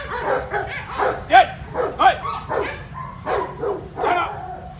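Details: German Shepherd barking in attack-on-command training: rapid, rough, uneven barks more than once a second, two especially loud ones near the middle, with some speech underneath.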